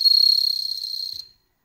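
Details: A captive-bred bell cricket kept indoors in Hokkaido, watched by cats, gives a clear, high, ringing trill of rapid pulses that fades away after a second.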